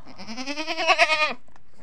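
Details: Farm goat calling at dawn out of hunger, an adult with kid nearby: a single wavering, tremulous bleat about a second long that rises and pulses before cutting off, against a low constant hum.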